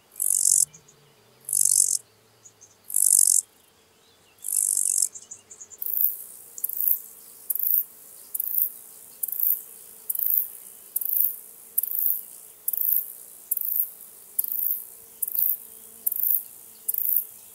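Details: Chirping lesser marsh grasshopper recorded at Elsbethen, Austria, 27 July 2019: four loud, high, rasping half-second chirps, then a quicker, softer series of short buzzy pulses repeating steadily under a second apart.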